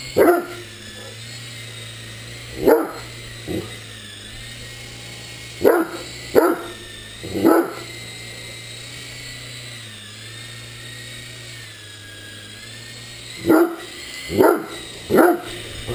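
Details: Great Dane playing with a remote-control helicopter, letting out about nine sharp, loud barks in scattered bursts, some in quick pairs, over a steady low mechanical hum from the flying toy throughout.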